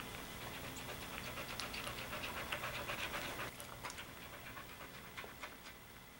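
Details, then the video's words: Soft Coated Wheaten Terrier at a puppy birth: fast, steady panting of about four breaths a second, with breathy bursts that grow quieter after the midpoint and continue softly to the end. "Soft Coated Wheaten Terrier Puppy Birth"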